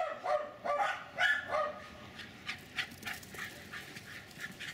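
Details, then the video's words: Jack Russell terrier Jasper barking while running and chasing in a backyard in Colony Woods, Lenexa, Kansas: four quick high barks in the first two seconds, then softer yips and rustling. "enthusiastic Jack Russell Terriers Jasper and Jaclyn running and barking maniacally"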